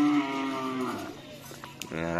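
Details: During karapan sapi bull race training at Asemanis field, Pamekasan, a cow gives a low moo that slowly falls and fades. A second moo begins near the end, with scattered knocks and voices around it.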